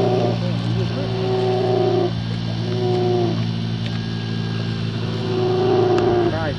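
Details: Mother brown bear attacking a young female near her older cub on the Katmai National Park coast, Alaska: long flat, harmonic moaning calls, one lasting about two seconds, then shorter ones with a wobbling start, over an engine drone.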